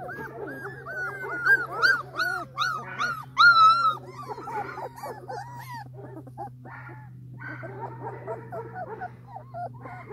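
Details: Creamy female Labrador Retriever puppies whimpering: a busy run of squeaky, arched whines, bunched and loudest early, then softer scattered whimpers over a steady low hum.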